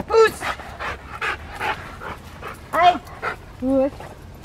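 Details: Rottweiler during schutzhund (IGP) protection training, cued to bite by a sleeve bump: a few short, harsh, loud barks spaced over four seconds, with panting between them and a man speaking commands nearby outdoors.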